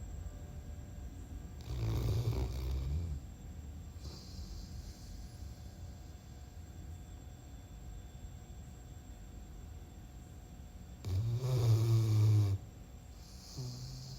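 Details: Simba, a sleeping dog, snoring: two loud, low, rumbling snores with a rasping edge, each lasting over a second and about nine seconds apart, with quiet breathing and a steady low hum in between.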